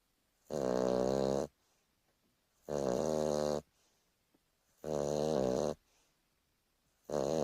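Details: A Boston Terrier snores in loud, raspy, buzzing bursts about every two seconds during a lazy afternoon nap.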